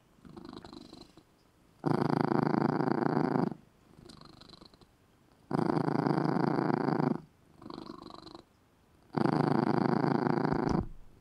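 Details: Domestic cat sleeping in a small red cat bed, purring loudly; the low rumbling purr comes in strong bursts of about two seconds, separated by quieter in-between stretches, steady and relaxed.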